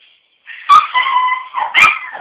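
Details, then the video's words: Puppies crying for their parents: drawn-out, high whining cries with a nasal, wavering tone, two louder yelping peaks breaking through the steady whine; a person speaks briefly afterward. "Puppies crying for parents"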